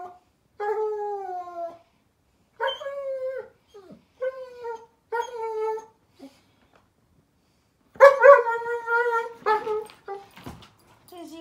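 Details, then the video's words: Daisy the German Shepherd puppy crying at bedtime on 15 May 2021. A run of repeated tonal whines, each about a second long and slightly falling, grows into louder, wavering howls near the end, with soft clicks between cries. "Daisy the German Shepherd Puppy Crying Because it’s Bedtime"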